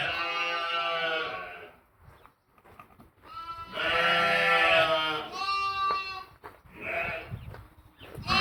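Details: Sheep and lambs bleating, recorded 11/5/2026: four loud, wavering, nasal bleats, the first and second long and strained, the later ones shorter, separated by brief quiet gaps.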